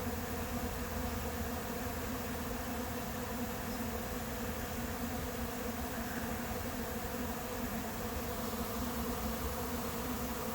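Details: Many honey bees of a late swarm entering an empty hive, July 8th; a steady, rich droning buzz with low humming layers, no pauses, only a faint higher hiss above it.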